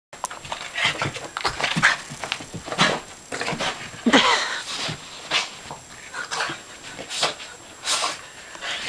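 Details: Riley the dog, pitted against a shark, breathes in quick, breathy, irregular huffs and snorts, with a short high whine near the middle; everything sounds close up and indoors.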